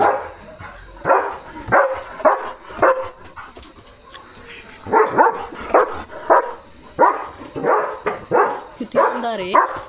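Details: A male German Shepherd on night guard duty in pitch darkness gives deep, irregular barks in bursts, running about alert and protecting his area, even barking at vehicles passing on the road.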